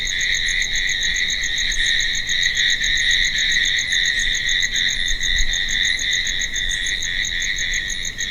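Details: Crickets at night keep up an unbroken shrill ringing, topped by quick repeated high ticks, with a brief dip in loudness near the end.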